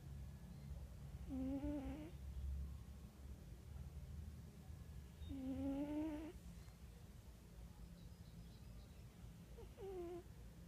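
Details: Snores from Wera the cat, three whistling, nasal breaths spaced about four seconds apart, each near a second long, the last one shorter, above a quiet low rumble.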